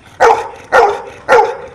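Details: A dog barks in answer to numbers called aloud: three punchy barks evenly spaced roughly every half second, each a brief mid-pitched bark with an abrupt onset.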